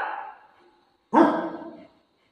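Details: Indoor dog waiting outside the washroom for its owner: a fading, tonal whine followed by one loud, abrupt bark.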